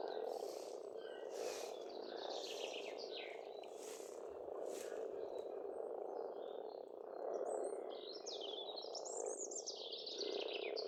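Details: Pond frogs in Estonia in spring, croaking in a continuous massed chorus that swells slightly near the middle, overlaid by varied warbling and chirping birdsong and a few soft clicks.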